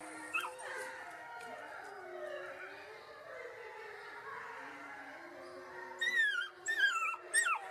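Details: Several wolf pups howl together in an overlapping, continuous chorus of wavering tones. Toward the end come sharp, high yips that slide downward.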